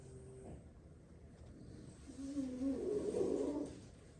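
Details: Napping French Bulldog, one of six siblings sleeping after plenty of play; a faint nasal breath, then a single long, rough, rumbling snore rising in loudness and dying away in a quiet room.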